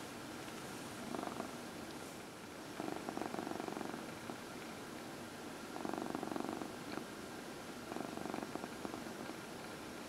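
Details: Gentle massage draws a deep, continuous purr from a pet cat, one of four sharing the home; the rumble rises and fades in waves about every two to three seconds, breath-paced, against quiet background hiss.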